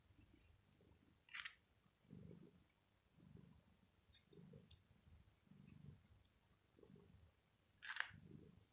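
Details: Pet cat, male, stroked on the head as he lies on a carpet during hot weather; quieter low purr swelling in regular breaths about once a second, with sharp rustles and clicks.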